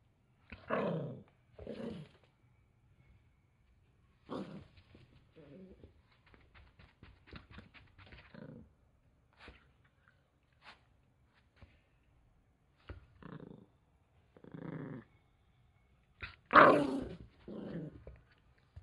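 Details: Male Toy Poodle growling in anger when his towel is taken away: a series of short, rough bursts, roughly a dozen spread over the recording, some louder snarling surges near the end, with quiet gaps between.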